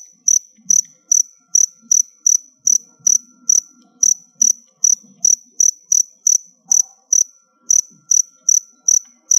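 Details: High, clipped cricket chirps from captive crickets chosen as they near their final molt. They repeat briskly at about two and a half per second, with one short pause near the seven-second mark and a faint low hum beneath.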